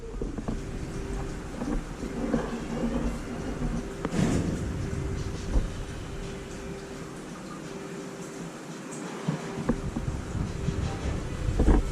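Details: Deep rumbling noise like thunder or passing traffic, with a steady hum, a few knocks and thumps, and no animal voice.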